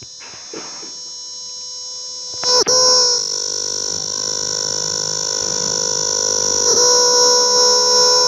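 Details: Close-up recording of a cicada: after a few quiet seconds and a sharp click, it breaks into an intense, shrill, level electric buzzing drone, held unbroken with only a slight waver near the end.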